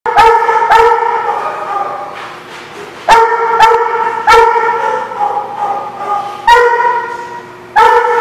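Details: Dogs barking at a place called The Barking Lot: loud, sharp barks with strong harmonics, some in quick doubles, bursting out roughly every one to three seconds with ringing tails between them.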